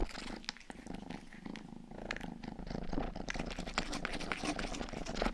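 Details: Rang, a domestic cat and the youngest of the family's cats, gives a close, rumbling purr for ASMR, rhythmic and unbroken, with soft wet licking clicks scattered over it and growing busier toward the end.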